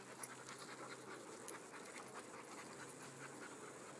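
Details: A small pack of Beaucerons on a woodland walk; brisk, breathy panting repeats rapidly through the short stretch, with a couple of faint clicks and soft forest ambience.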